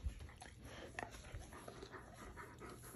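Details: Pet Alaskan Malamute Tonka at breakfast, begging for shared food next to a baby and a Siberian husky indoors; quiet, soft panting in short breathy bursts throughout, with low household background and a woman speaking just after.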